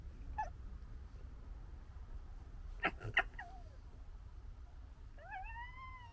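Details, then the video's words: Foxes from a 2021 litter of three squabble, gekkering and fighting with harsh chattering bursts and thin, wavering whines over a low rumbling background. "Fox Funny Noises"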